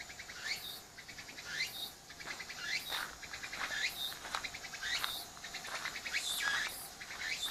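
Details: Insistent cicada chorus recorded on an apeman A80 near the dog Shiro. Overlapping rising sweeps and pulsed rattles come in fairly uneven succession, several callers blending into a dense, high buzzing texture.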